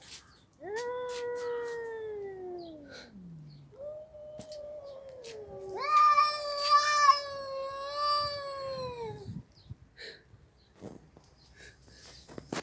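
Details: Domestic cat meowing: two long, drawn-out tonal meows, the first falling away over about three seconds, the second wavering and rising then sliding down, with a few quiet clicks and a brief spoken word before.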